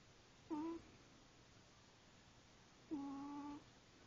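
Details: Female domestic cat asleep, snoring: two nasal, tonal breaths about two and a half seconds apart, the first short, the second longer and steady in pitch, with quiet room hiss between.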